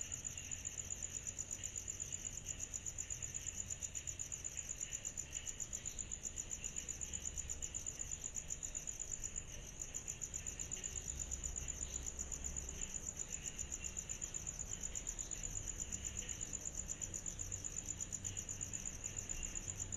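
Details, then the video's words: Cicadas chorusing on a summer night: a steady, very high, rapidly pulsing trill that runs without a break, over a softer lower shimmer and a faint low rumble. "Summer Night Cicadas Sound Effect"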